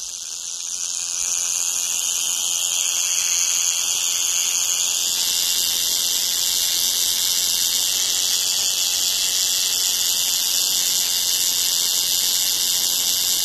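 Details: Cicada song: a loud continuous metallic buzz that rises quickly at the start, then holds at an even, shrill, high pitch without pause.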